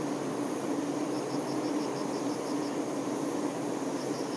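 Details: Honey bee workers tending their queen: a dense, steady hive hum with a low droning tone throughout, while a short train of high, rapid chirp-like pulses repeats faintly in the background.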